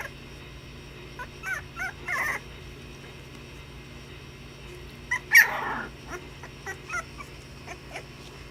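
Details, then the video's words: Puppies at play, giving short high yips and whimpers scattered through the clip, with one louder squeal near the middle over a steady low hum. "Puppies playing"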